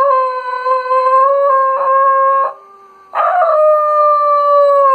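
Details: A Schnoodle howling in sympathy with a lost Arctic wolf pup on a TV nature programme gives long, steady, mournful howls, holding a clear tone with brief pauses between them.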